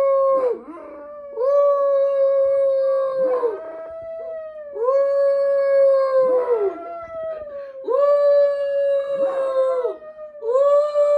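Small dogs, Chihuahuas, give drawn-out howls that rise, hold and fall, repeating every few seconds. Brief yipping barks break in between the overlapping howls.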